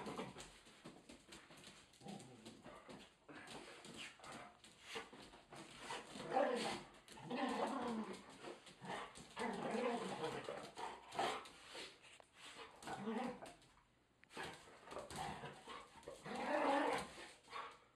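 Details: Irish Setter Bina with companion dog Alemão, doing their usual dance before being fed; clusters of excited yelps, whines and short barks rise and fall across the clip, with a person talking in between.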